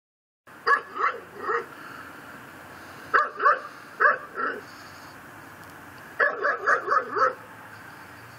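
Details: Pit bull tied to a post in a yard in Chalmette, Louisiana, barking at midnight on December 24, 2012: three groups of sharp, hoarse barks, about three, four and five barks each, separated by pauses of a few seconds.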